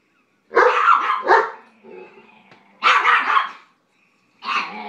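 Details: Bullying over food between Brooks and BJ, a White Shepherd and a Jack Russell; drawn-out, rough barks run together in bursts, with a low grumbling growl between them.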